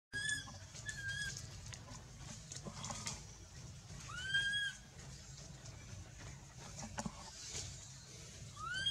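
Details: Baby monkey Anissa, held by the monkey Aron who will not release her, calls in fear for her mother: a few short arched tonal cries with bright harmonics, spaced several seconds apart over a low rumbling background.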